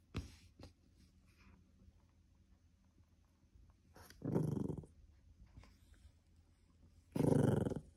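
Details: Cream poodle growling indoors while guarding something from being taken; after a quiet stretch, two short, low, rough growl bursts come near the middle and at the end, each under a second long.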